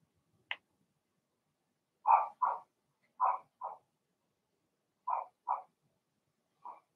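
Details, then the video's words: Litter of Blenheim Cavalier King Charles Spaniel puppies in a pen, a thin high squeak followed by bursts of sharp yapping barks in twos, ending with a softer single bark. "Cavalier Puppies Bark, Howl, and POOP"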